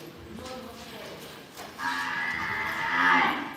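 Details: Imported calves of Angus, Limousin and Hereford breeds, being bought at a livestock purchase. A faint murmur comes first, then one loud, drawn-out harmonic moo from about halfway through that swells toward its end. There is low background chatter.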